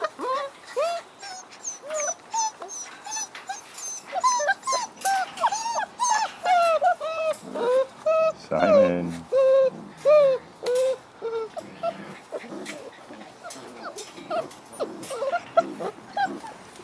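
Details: Six-week-old Frenchie x wolf pups whimpering and yipping together, a steady stream of high, bent, squeaky cries overlapping one another, while a person calls out "Puppy" and "Hey, Captain".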